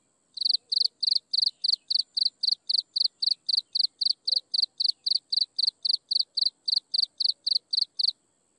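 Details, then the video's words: Insects chirp in the sunset in a brisk, metronome-like run of high chirps, roughly four per second, over a thin continuous high tone, starting after a brief silence and ending cleanly. "Listen to insects chirping in the sunset"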